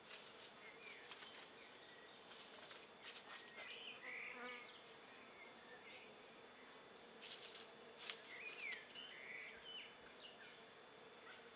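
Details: Honey bees, darker than the resident colony, investigate an empty nuc top bar hive in the afternoon at 24 °C; a continuous droning buzz, with brief louder bursts as insects pass close and a few small bird chirps.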